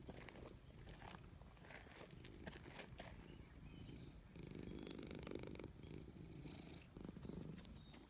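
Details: Cat purring while petted in a forest: a dense low rumbling purr rising in longer breath swells, accompanied by faint high birdsong and occasional rustling or scratching sounds.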